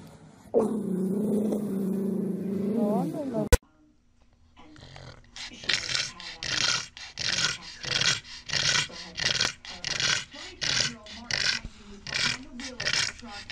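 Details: Pug, a dog breed, gives a drawn-out harmonic whine that bends upward before cutting off. After a short pause come a long run of rhythmic, breathy snorting bursts, roughly one every second, indoors.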